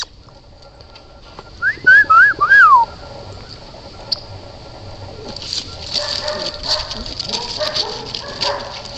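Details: Red Standard Poodle puppies making a quick run of three or four high, piping whines that rise and fall in arcs, followed by muffled rustling and soft pattering.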